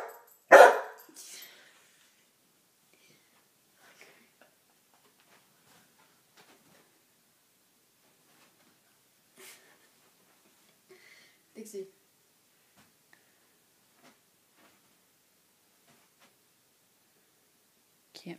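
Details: Dixie, a female coonhound, barking at her own reflection in a mirror indoors; one loud, sharp bark at the start, then long near-silence with a few faint knocks and brief human speech.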